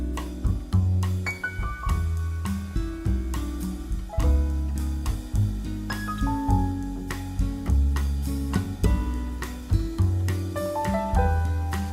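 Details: Jazzy instrumental music with guitar, piano and drums plays throughout, no animal voice heard.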